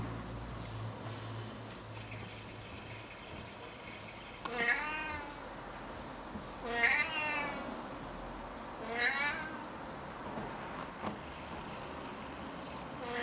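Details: A talkative, friendly male Siamese cat, being talked to by a person, gives three loud, drawn-out meows, each rising then falling, spaced a few seconds apart.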